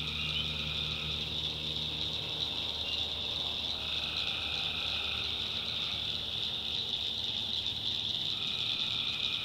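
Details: Night chorus of tree frogs from North Carolina backwoods swampland, a constant shrill trill overlaid by lower droning phrases that come and go every few seconds.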